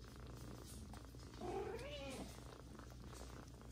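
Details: Mother cat Jaco nursing Kira, an older adopted kitten, alongside her own three kittens Willie, Coco and Butuz; one short meow rises then falls midway, over a steady low hum.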